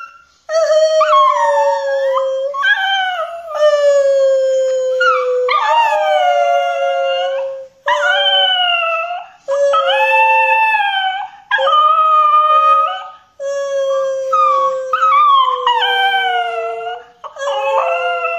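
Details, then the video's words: Pet Pinscher dog howling in what its owner calls a "sad song": a run of long, clear, tonal howls, each sliding down or wavering, separated by brief pauses, in a quiet room. "Pinscher Ares ulula"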